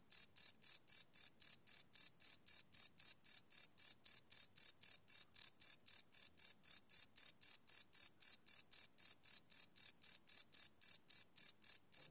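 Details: Cricket chirps at night, recorded live without loops on a Sony PCM D100: high, shrill pulses repeating roughly four times a second in a regular stream, nothing else audible.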